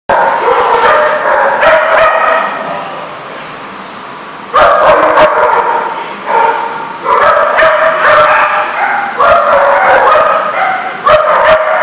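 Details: Dogs barking and yipping almost without pause, several voices overlapping in dense, high, ringing bursts, with a brief quieter stretch before a loud outbreak resumes.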